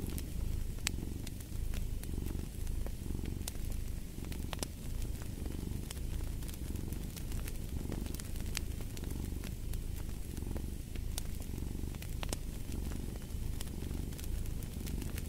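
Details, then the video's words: Cat purring beside a fireplace: a throaty, even rumble pulsing in regular breath-paced swells for the whole stretch, punctuated by frequent sharp crackles of burning wood. "Fall asleep to the Purring of a Cat"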